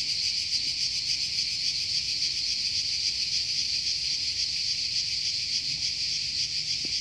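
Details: A cicada in a forest in Croatia drones in a continuous, shrill, finely pulsing buzz, like fast static, at an even loudness with nothing else clearly heard beneath it.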